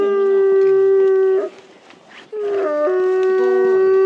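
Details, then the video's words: Captive timber wolf siblings at a zoo in Hokkaido, Japan, howling in snowy winter in early afternoon; a sustained flat howl breaks off, a short gap with scattered sounds, then overlapping howls resume, one voice dipping lower before steadying. "冬季は遠吠え時刻も早め？ シンリンオオカミ"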